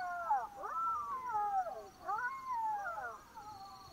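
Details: Several black-backed jackals howl together at night in Botswana, high wavering wails rising and falling over one another in a chorus.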